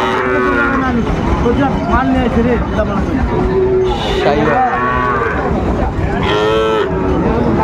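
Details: Sahiwal bull calves at a busy cattle market on 19 December 2024, Bangladesh: several drawn-out moos rise and fall, with louder bursts near the start and end, over constant crowd chatter.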